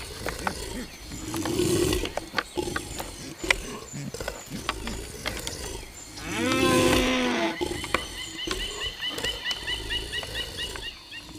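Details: Two deer fighting in the wild, in forest, let out low, drawn-out moaning bellows, the loudest swelling and wavering for over a second. Sharp clicks and knocks are scattered throughout, with faint background noise.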